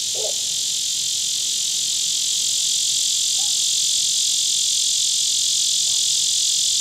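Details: Lyric cicada, Neotibicen lyricen, at Sand Hills State Park, Kansas, recorded 9 August 2016: a loud, continuous high buzzing drone with a fast pulsing throb, steady throughout, with faint distant bird notes underneath.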